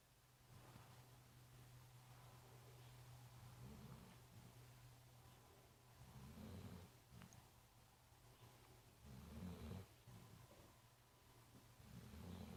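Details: Marley, a big brown dog at The Funny Farm, snoring while asleep and tired; low rumbling breaths rising and falling in slow, uneven bursts every few seconds over a steady low hum.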